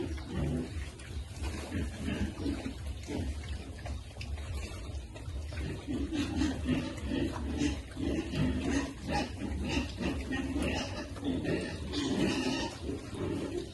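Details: Piglets being fed, a chorus of overlapping harmonic grunts and short squeals building in the second half, with steady low rumbling background noise and scattered clatter.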